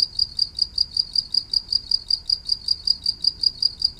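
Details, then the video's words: Shrill cricket-type chirping from a green insect called maeng tao thong locally: bright high-pitched pulses repeated about four times each second in a steady rhythm, faint low noise underneath. "แมงเต่าทองตัวสีเขียว เสียงจิ๊งหรีด"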